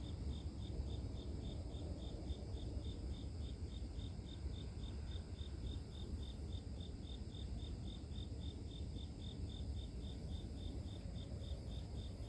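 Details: A cricket heard as calming nature white noise: bright, evenly spaced chirps at a fast regular pulse of roughly four per second, with a loud steady low rumble beneath.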